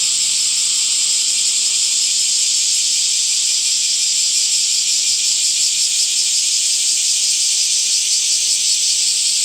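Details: Cicadas droning through summer, their buzzing chorus an unbroken high-pitched hiss with a fine, fast throb running through it for the whole stretch.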